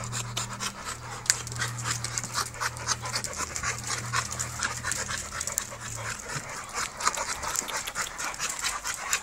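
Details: American Bully, a standard show-quality dog of UKC type, panting in quick, breathy, hissing bursts throughout, with a low steady hum underneath for the first six seconds.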